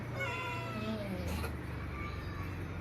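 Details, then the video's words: Newborn kitten, one of four found with eyes still closed on a cloth in a cemetery at dusk; a single thin, harmonic mew that bends and slides downward over about a second, above a steady low motor hum. "Nemu bayi kucing di Kuburan - Found a kitten on cemetery"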